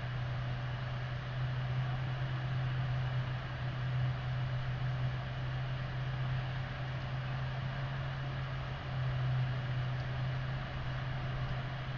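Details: A steady low rumble of wind and hum fills the whole stretch, with no animal voice standing out.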